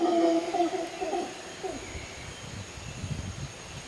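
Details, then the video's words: A howler monkey at Arenal Observatory Lodge, Costa Rica, gives a deep, droning roar that trails off after a second and a half. "Howling Monkeys, Arenal Observatory Lodge, Costa Rica"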